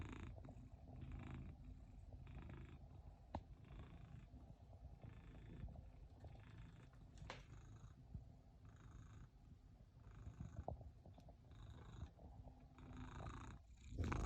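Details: Domestic cat purring steadily while hiding: a low, continuous rumbling purr that swells and fades in a regular rhythm of roughly one cycle per second, with a few faint clicks and a louder rustle at the very end.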